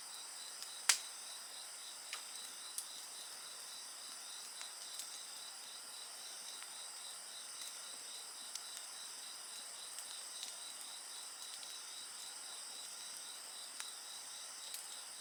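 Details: A dense insect chorus sings throughout: a rapid pulsed trill beneath constant high ringing. A bonfire crackles, with one loud pop early on and softer snaps scattered after.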